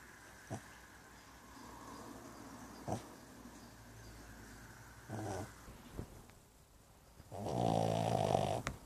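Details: Snoring Brussels Griffon: soft, low snorts and short rasps spaced a few seconds apart, ending in a louder, longer grating snore, with a quiet indoor background.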